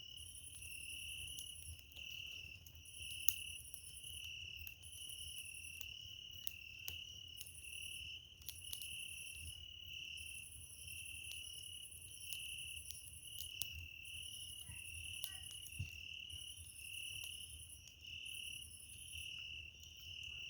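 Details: Cricket singing at night beside a campfire on 27 July: steady high trilled chirping in bursts of one to two seconds with short gaps, over soft crackling of burning wood.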